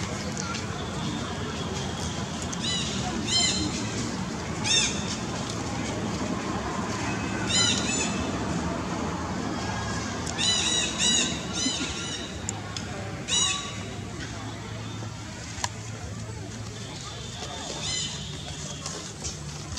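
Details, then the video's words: Baby monkey Rex begging from Little Vikki, letting out short, high, squeaky cries in irregular bursts, clustered early on and again in the middle, over a steady low outdoor rumble. "Beg.. Beg..Poor Baby Monkey Rex Brave To Request Anything, Monkey Rex Beg Little Vikki"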